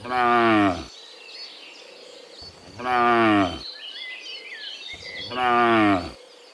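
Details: Afternoon herd of dozens of cows walking from the fields back to the pen, lowing three times at roughly two-and-a-half-second intervals, each moo rich and steady; bird chirps fill the gaps.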